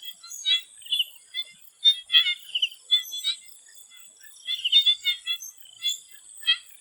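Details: Thai swamp frogs near sunset: clusters of rapid, bleating croaks come in rushes separated by short pauses. A thin, steady insect whine fills the background.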